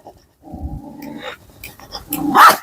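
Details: Kombai dog in a dog challenge, a sustained low throaty growl followed by a single sharp, loud bark at the end, with faint background noises.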